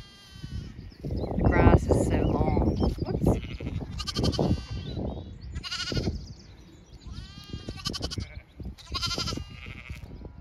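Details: Zwartbles ewes and lambs on a regenerative farm in County Kilkenny, Ireland, out in a sunny field with a cool breeze, lambs lying together; several harmonic, wavering bleats in overlapping bursts over low wind rumble, with a person's voice nearby.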